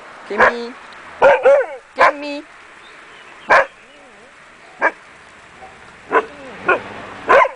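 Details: Akita Inu puppies giving short, sharp yips and barks at irregular intervals, about nine in all, some ending in brief tonal whines, with quiet whimpering between.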